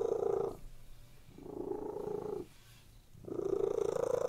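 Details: ['Cats purring contentedly while lying on a bed indoors; a strong, even rumble rises and falls with breathing, loud phrases roughly a second long alternating with softer pauses, no other sounds present.']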